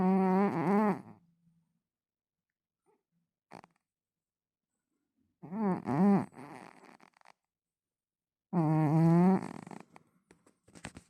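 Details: Domestic cat snoring indoors: three loud, rough, buzzy snores about a second long, each with a wavering low tone, separated by long silent pauses with a faint click between them.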